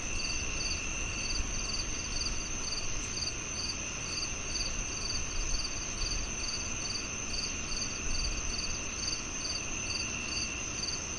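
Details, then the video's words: Steady cricket chorus with bright pulsed chirps roughly twice each second, a constant high insect tone beneath, and a low rumbling background noise. "The Cricket Sounds"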